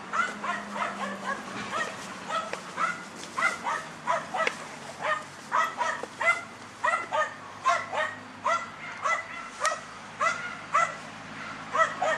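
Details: Dunja, a German Hunting Terrier, barking while hunting wild boar: sharp, steady barks at roughly two per second, sustained for the whole stretch, over a low background hum.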